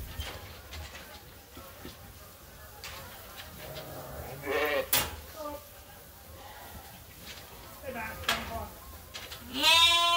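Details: Sheep awaiting feed during daily chores at Ewetopia Farms in lambing season; a few scattered wavering bleats, one loud harmonic-rich bleat at the end, with farm clatter and faint background noise.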